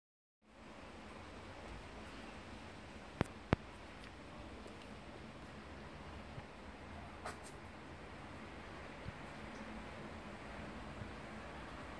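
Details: Quiet indoor room tone with a few sharp clicks and light knocks, no animal calls.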